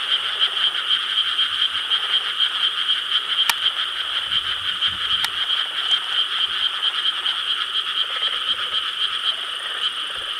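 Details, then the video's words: Summer-night frog chorus in rice paddies of Korea, filmed 4 July 2013; overlapping croaks pulse roughly twice a second within a constant bright drone, broken by two sharp clicks and a short low rumble. "여름 밤 개구리 합창 Chorus of frogs croaking in rice paddies of Korea"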